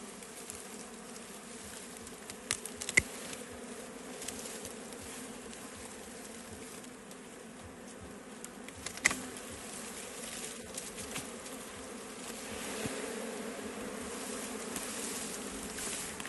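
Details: Wild bees buzzing in a forest during a traditional honey harvest: a steady, dense hum of many insects throughout, with scattered clicks and brief louder swells.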